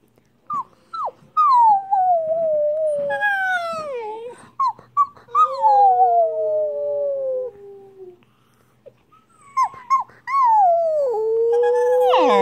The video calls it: Siberian Husky Puppy Howls